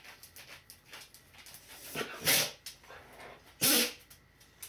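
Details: Rocky, an Akita mix who served as the watchdog of an acupuncture and osteopathy clinic and sneezed whenever he was happy, gives two sharp, hissing sneezes about 1.4 seconds apart over quiet indoor room noise.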